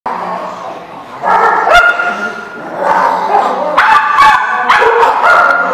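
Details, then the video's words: Dogs barking, recorded 6/13/16: overlapping barks and yips from several dogs, bursts starting around the second mark and repeating roughly every second, loud and close. "The Barking Lot"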